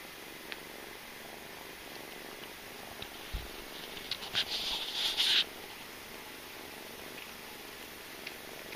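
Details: While kitten Malika suckles from her mother cat Jamila, a low continuous purr hums along, broken midway by a brief loud rustling burst of about a second, then the quiet purring resumes.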